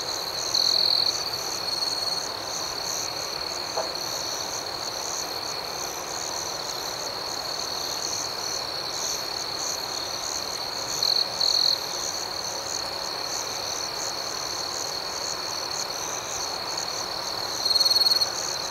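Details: Night-time crickets in an outdoor setting keep up a continuous shrill trilling chorus, with pulsed chirping overhead and three short louder surges of ringing near the start, middle and close.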